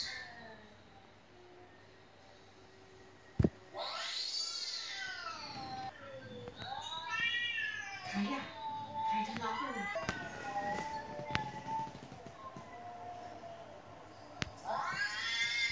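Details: Domestic cat at home meowing without stopping while a recording of meowing cats plays: a run of arched, whining meows of varying length, some short and stuttering, with sharp clicks and a human voice in the background.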